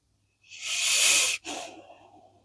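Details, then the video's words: Blue Akita Inu asleep after a long, tiring day, letting out a loud hissing, airy breath that swells for about a second, breaks briefly, then trails off in a softer rasp. "snoring akita"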